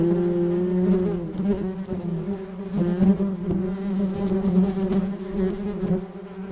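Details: A flying bee gives a steady, low droning buzz with stacked overtones. The loudness swells and dips slightly as it moves, with a few faint clicks over the hum.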